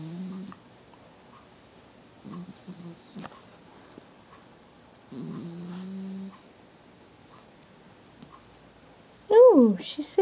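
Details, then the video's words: Pennykins, a pet ferret, asleep and snoring sweetly: soft, low, buzzy snores recur about every two and a half seconds with quiet pauses between, then a human voice speaks briefly at the end. "Sweet snoring Pennykins"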